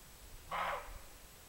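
A roe deer gives a single short, harsh bark against a quiet background.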